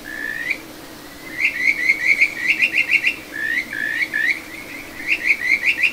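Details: Kajika frog calling from a small stream in the satoyama of Ichihara, Chiba, Japan, on 9 June 2022; rising whistled slurs lead into clusters of quick chirping trills, repeated twice over a steady water backdrop.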